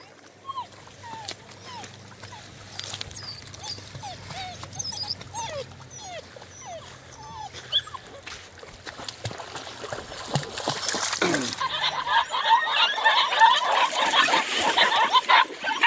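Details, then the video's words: Eight-week-old German Longhaired Pointer puppies on first meeting water whine in a series of short falling whimpers, about three a second, over a low hum, before loud splashing and sloshing water takes over. "Deutsch Langhaar Puppies 1st Intro. to Water"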